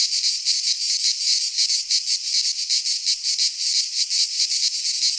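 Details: Shrill, rasping cicada song from a Greek pine forest in midsummer, a constant high buzz swelling and fading in quick regular beats, several per second, with no other sounds.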